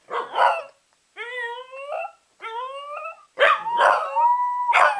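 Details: Two corgis howl after their owner sets them off, in drawn-out, wavering cries that rise and fall, broken by short yips and barks.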